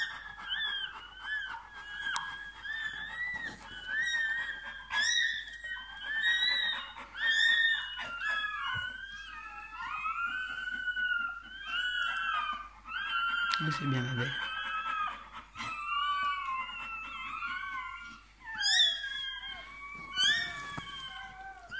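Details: Newborn Bernese Mountain Dog puppy moments after birth, inside a small room: long stretch of continuous high, wavering squeals and whines in bursts of one to two seconds, with a woman's soft French encouragement and brief rustling.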